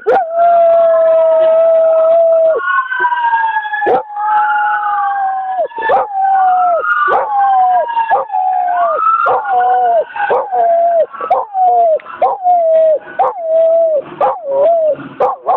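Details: Ranger, a German Shepherd/Golden Retriever mix, howling at sirens on a Friday night, 18 December 2009. Long, wavering howls hold a steady pitch over a siren's repeated rising and falling wail. Toward the end the howls break into shorter, choppier notes.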